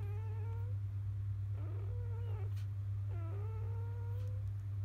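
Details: Newly born field-type Labrador Retriever puppies from biscuit's litter, heard after a morning feed: three drawn-out, slightly rising squeals, each about a second long, over a constant low hum.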